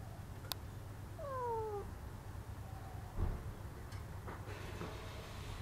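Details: Domestic cat calling through a window screen for attention, giving one clear, drawn-out meow that slides downward, followed by faint knocks against a low background hum.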